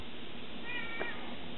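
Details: Savannah cat Scirocco, 20 weeks old, gives one brief thin meow lasting about half a second, a faint rising then level tone with soft overtones, set against a steady background hiss.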